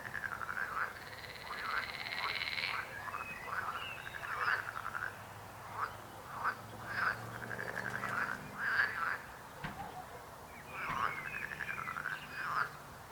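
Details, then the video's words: Frogs croaking together: short, rattling, pulsed croaks in irregular clusters, some louder nearby callers standing out, with a faint low hum and a brief high whine early on. "Rechot żab. Croaking frog sound."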